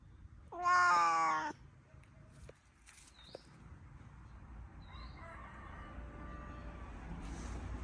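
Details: Pet cat giving one clear, loud harmonic meow lasting about a second, followed by faint background sounds and a soft distant tone.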